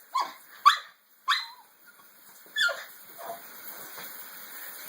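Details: Pocketz, a female pet dog who hates baths, resists coming when called at bath time; four short, sharp barks land in the first three seconds, with a person's voice coaxing her to come.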